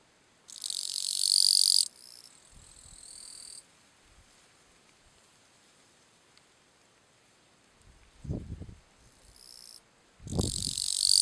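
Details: Bush-cricket Gampsocleis schelkovnikovae singing its calling song at Letea, Romania, in September 2012: long high-pitched buzzing bursts of about one to one and a half seconds, some loud, some softer, separated by pauses with low thuds.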